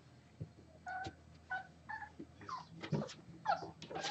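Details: Six-week-old Boxer puppies at play, giving faint, short, high whimpering squeaks, some rising and some falling, about two per second. Soft rustling and low background noise run throughout, indoors.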